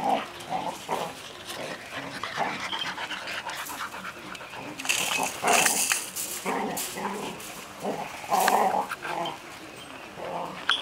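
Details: A litter of Golden Retriever puppies, six weeks old and kept in a cage, make a busy stream of whimpers, squeaky yips and panting, with frequent rattling and scuffling noises throughout.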